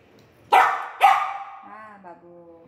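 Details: Golden Retriever puppy, three months old, at home around feeding time: two sharp, bright barks half a second apart, followed by a softer tonal whine with steady harmonics trailing off.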